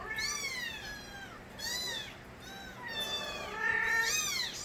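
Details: Several stray kittens crying together: loud, strained, falling meows overlapping one another in clusters, each burst lasting under a second, with steady low background noise.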